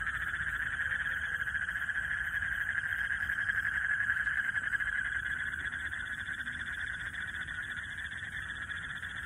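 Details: A dense night chorus of frogs in a Bangladeshi village on a dark night with lightning, a steady buzzy trilling that pulses rapidly without pause.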